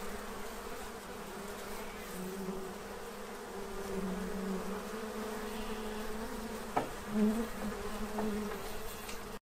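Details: Bees feeding at a tray to prepare for winter in Central Illinois, a low steady droning buzz of many wings with overlapping hums that swell and fade, and a sharp click near the end.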